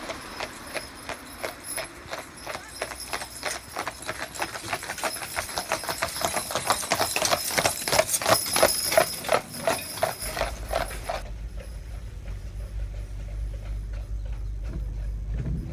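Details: Clydesdales Monty and Cyril pulling a carriage as a pair, their owner from Scotland on the reins; crisp, even clip-clop hoofbeats roughly three per second that build louder, then stop abruptly, leaving low rumbling wind-like noise.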